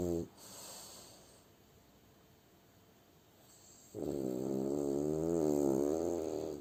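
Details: A sleeping French Bulldog, Kuzya, gives a brief snort, a quiet pause of a few seconds, then a loud, sustained, vibrating snore with wavering pitch that rises and fades over about two and a half seconds.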